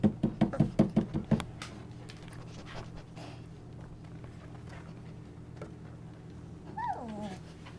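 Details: Golden Retriever puppies, twenty-five days old, newly walking around a whelping box indoors in the evening; a burst of quick breathy rhythmic pulses opens, then a quiet stretch, then one short descending whimpering whine near the end.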